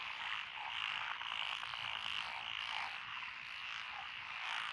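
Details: Dense chorus of frogs in Echizen's lotus rice paddies, Fukui, Japan, June 2021, including Japanese tree frogs and Schlegel's green tree frogs. Bright, high, ringing croaks overlap without pause, rising and falling slightly in loudness.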